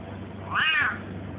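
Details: Russian house cat answering its owner's repeated spoken questions with one clear, arched meow of about half a second, rising then dipping, with low background hum and no other animals.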